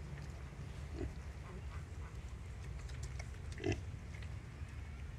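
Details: A wild boar sow nursing her piglets gives low, soft grunts, with a few louder, harsher grunts breaking through.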